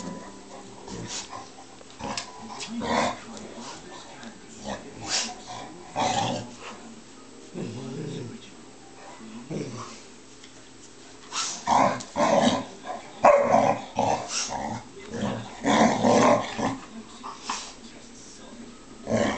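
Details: Playful growls and grumbles from a Bearcoat Shar-Pei pestering a resting Tibetan Mastiff to play, with irregular rough bursts, short yips and scuffling noises coming in clusters, louder toward the end.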